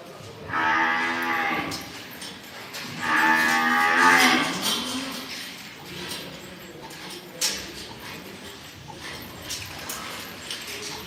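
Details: Imported Angus, Limousin and Hereford calves being bought: two loud, strongly harmonic moos about two seconds apart, followed by clattering knocks and shuffling noises.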